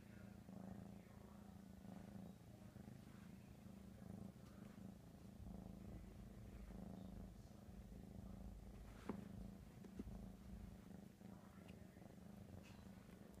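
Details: Domestic cat Ricky, crazy for ham, keeps up an unbroken deep rumbling purr throughout, even and rhythmic, with a sharp click near nine seconds and faint background sounds.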